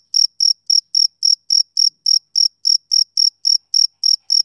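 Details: Male cricket chirping on a summer evening: a regular train of sharp high chirps, about fifteen in four and a half seconds, nothing else audible.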